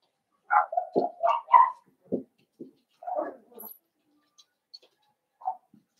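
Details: A home puppy pen holds a litter of five blenheim Cavalier King Charles Spaniel puppies born on New Year's. A quick run of squeaky, rising yelps and whimpers tumbles out, then fades to a few scattered, softer whines and a faint squeak.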